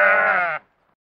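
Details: Domestic sheep at Inglestone, close-up, with lambs at feeding time: one loud, steady, nasal bleat lasting about half a second with strong overtones, ending abruptly into silence.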